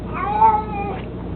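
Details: An 18-year-old pet cat named Mico, nearly blind and fond of his toy mousey, lets out one long, steady meow with a strong harmonic stack that tapers off near the end, recorded indoors with little background noise.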